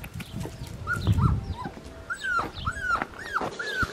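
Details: Blue merle male Australian Shepherd puppy from registered, health-tested parents, making short high arched whimpers and yelps in a rapid run, with a woman cooing baby talk and handling noises.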